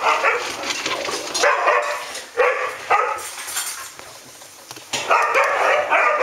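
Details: A pack of standard poodles in August 2014 giving rough, noisy barks in clustered bursts, several overlapping, with short pauses between groups and a hissy background.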